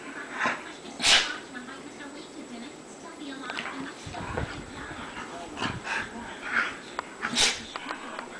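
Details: Female pet dog rolling around on a bed wanting belly rubs; short whimpers and yips with rustling bursts from the bedding, and a faint person's voice underneath.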